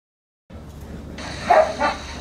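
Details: Siberian Husky Leon, almost two years old, on his first morning at a home dog-boarding stay in Valley Village, California, mixing with other dogs; two short bursts of barking rise over steady low background hum.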